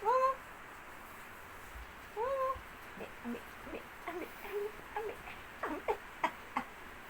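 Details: Male Siamese cat giving two short, rising-then-falling meows at the start and near two seconds, followed by a run of brief chirping, trill-like calls spaced about every half second against a quiet background.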